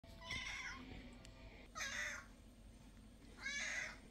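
A domestic cat gives three short, bright meows, each about half a second long.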